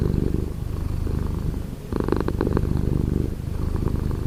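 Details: Morning purr from a house cat, heard up close: a deep continuous rumble with a short pause near the middle before the purring resumes, slightly brighter and louder on the following breath.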